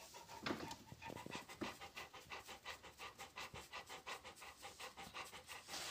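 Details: Rapid, even panting from a Rottweiler, each breath a short airy pulse repeating several times a second, with faint clicks at the start.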